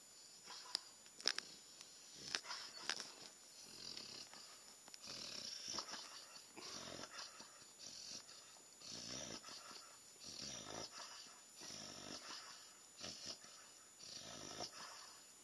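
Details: A sleeping puppy makes cute noises in its sleep: soft, breathy snuffles and wheezy snores in an irregular rhythm.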